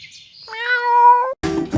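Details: Pet cat giving one drawn-out, slightly rising tonal meow lasting under a second, followed by short bursts of background noise.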